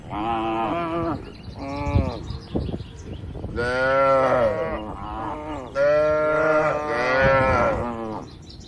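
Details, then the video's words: Dozens of tame cattle crowded together in a farm pen, interacting calmly. A run of five or six loud moos follows in quick succession, some long and bending, some clipped, with snorts and shuffling between them. "Banyak Sapi lembu di Kandang Peternakan 😄 | Suara Moo Menghibur!"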